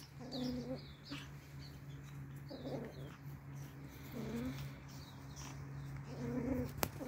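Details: Four Pomeranian toy puppies at play; short, squeaky, nasal yelps arrive in four separate bursts roughly two seconds apart over a steady low hum.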